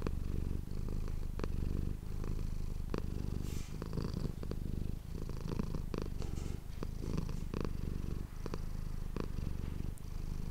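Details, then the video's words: Domestic cat Manis purring steadily near an ASMR microphone, a rich low rumble pulsing with her breathing, overlaid by frequent light rustles and small clicks. "ASMR cat purring ❤ Manis die aan het spinnen is"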